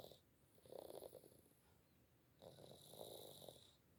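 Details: Gembul, a pet cat, snores while asleep. Two gravelly, vibrating snore breaths about two seconds apart, each a brief rattling rasp. There are quiet gaps between them and a soft background hiss.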